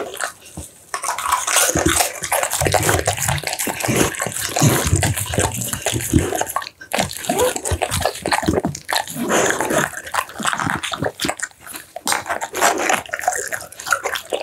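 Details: Dense, continuous wet chewing and gulping from an American Bully eating boiled pumpkin and minced duck meat, recorded close; sloppy smacks, licks and swallowing run almost without pause, with a brief lull near the middle.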